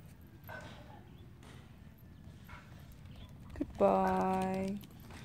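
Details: Dobermann named Kobe, eager to play with his brother Keisy, a miniature Spitz: one drawn-out, tonal, harmonic cry near the four-second mark lasting nearly a second, after soft human speech and a quiet background.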